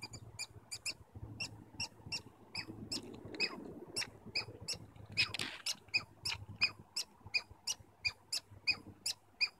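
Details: Squirrels in Stanley Park communicating: a rapid series of sharp, high squeaky chips, about three per second, each clipped and bright, repeated steadily through the recording over a faint low background hum.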